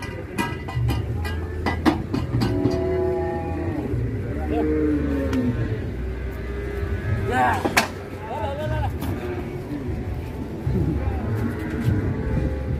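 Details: Cattle lowing in a series of deep, drawn-out moos with clear harmonic bands, some calls rising and falling, over a steady low hum, with background music, brief voices and sharp knocks.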